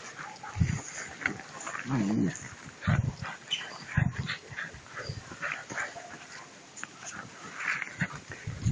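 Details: Puppies two months old play with a rag during prey drive training, giving short low growls every second or so and a brief wavering whine early on, amid broad rustling noise of the tussle.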